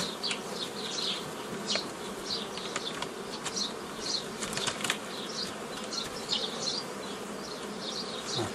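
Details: Swarm-derived honey bees being split into nucleus colonies by traditional methods, 15 May 2018; an even, busy buzzing drone with many brief high chirps and sharp clicks scattered across it.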